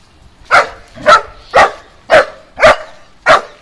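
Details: German Shepherd dog protecting its home, barking steadily: six loud, harsh barks spaced about half a second apart, each a short broad burst, with little else heard.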